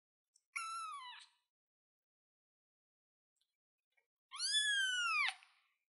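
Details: A kitten on a chair gives two high, harmonic-rich meows, the second longer and arching in pitch.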